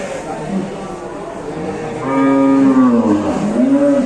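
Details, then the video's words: Angry, rampaging cow in an Indonesian cattle barn giving a long, loud, wavering moo that starts after two seconds, sags, then rises again at the end, following a quieter stretch of background noise. "SAPI NGAMUK BIKIN GEGER SAMPE NGOSER-NGOSER‼️"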